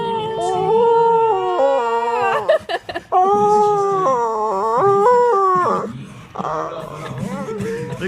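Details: Pet dog lying on his back while being petted, making weird, drawn-out howling and whining noises; sustained wavering tones that rise and fall in pitch, broken by short breaks, with the sound dropping into quieter whines near the end.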